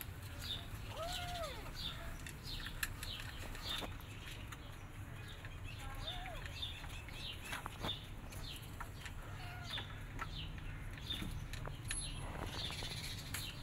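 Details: Rescued stray kittens, part of a mother cat's family just moved to a new home, give short arched meows, rising then falling, about four spaced several seconds apart, over constant bird chirping and a low background rumble.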